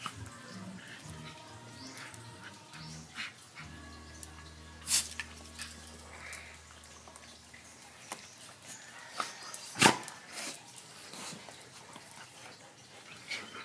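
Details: Coco, a golden retriever, and Brady, a Jack Russell, wrestle in play indoors; a low, rumbling growl holds steady for a few seconds amid scuffling thumps, sharp knocks and a faint background hum.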